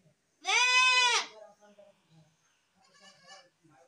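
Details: Goat letting out a single loud, tremulous bleat of under a second, followed by softer murmuring sounds and a faint second call in the background.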